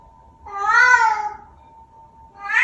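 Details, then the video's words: Vocal Bengal cat kept indoors as a pet, making a weird sound: one drawn-out, bending meow with rich harmonics, then a second meow starting at the end, over a steady faint hum. "My Cat Making Weird Sound | Vocal Cat"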